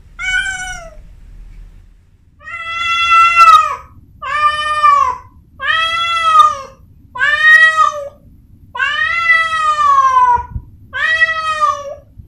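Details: A Persian cat named Amora, a gift from a friend, calls during her first heat: seven long harmonic yowls in a steady run, each bending slightly down at the end, with short gaps between them and a low background hum.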